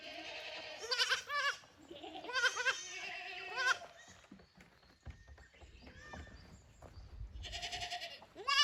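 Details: Young goat kids from the lower pasture visiting the upper pasture at a handmade goat farm in Japan, 15 May 2024; several overlapping high, wavering bleats rise and fall, some stacked in quick succession, with a quieter stretch between calls.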